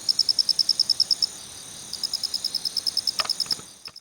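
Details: Male Phonarellus ritsemai cricket calling with a 'kichi-kichi' song: rapid series of sharp, high, evenly spaced chirps, about a dozen in a first burst, a short pause, then another run, ending with a few clicks.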